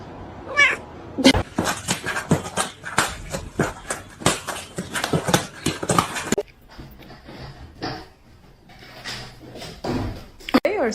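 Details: A cat giving a drawn-out rising meow, then a burst of thumping and scuffling, with faint later mewing and people talking in a small room.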